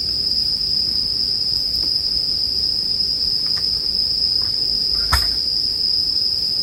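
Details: Bell crickets ring in one unbroken high tone, paired with bonfire sounds meant for relaxation. Scattered sharp crackles and pops from the fire break through, one louder snap near the end, over a low soft rumble.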